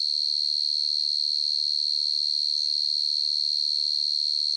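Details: Night chorus of a field cricket (dế mèn, dế cơm): one continuous high, shrill pure-toned trill with a rapid even pulse, holding constant throughout, no other animals or noise.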